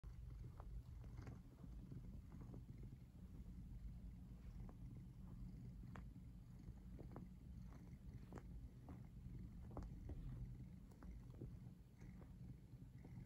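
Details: Domestic cat purring right up against the camera while lying in a strongly twisted pose; a steady low rumble fills the whole clip, scattered with sharp clicks and small taps from movement.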